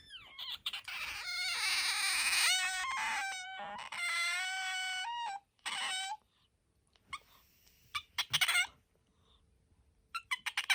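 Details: Bingo, a pet otter kept indoors and noted for a high, soprano voice, gives rapid squeaky pulses that run into long shrill harmonic squeals with slight pitch bends, then pauses and scattered short chirps.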